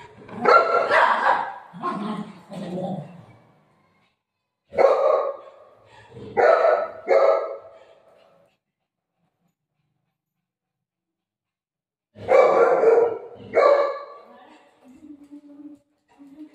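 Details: Household pet dog, golden retriever or shih tzu, barking in bursts: a cluster of barks, a pause, a few more, then long silence before another pair, with soft speech nearby.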